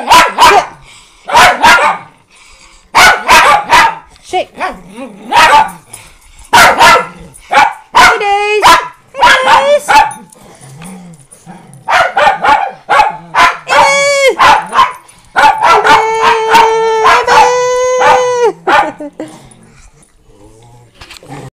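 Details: Rescue Miniature Pinschers and a Doberman at home: repeated sharp barks mixed with a person speaking, then long high whines and yelps with rising and falling pitch toward the end.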